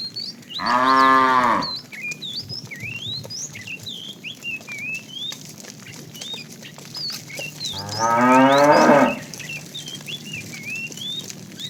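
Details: Tame cows roaming the road looking for food; two harmonic moos, the first near one second and a rougher second near eight seconds, with many bright chirping birds whistling throughout.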